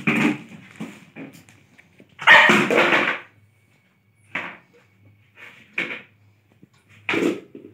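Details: A Lhasa Apso playing indoors in a small room: a series of short barks and gruff vocal bursts at irregular intervals, the loudest around the middle, with quiet gaps between.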